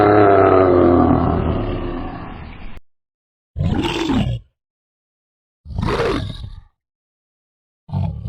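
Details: Bear roaring. One long, harsh roar slowly fades away, then three shorter gruff, rasping bellows follow, each about a second long and separated by silence.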